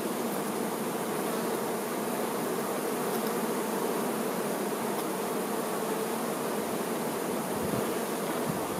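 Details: Worker honey bees attending the queen bee, making a thick, unbroken buzzing drone that stays even in loudness throughout, like the hum of a crowded hive.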